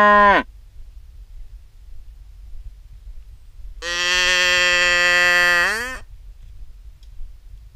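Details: Cattle in a herd heading out to graze; a long, steady, deep moo with rich harmonics lasts about two seconds, preceded by the cut-off tail of another call, over quiet low rumble.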